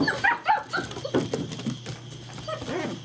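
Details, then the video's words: Frisky German Shepherd puppies playing together, 2012: a burst of short, high yips and small barks at the start, then scrambling and softer whimpering noises amid the playful tussle. "GSD Puppies getting frisky together!"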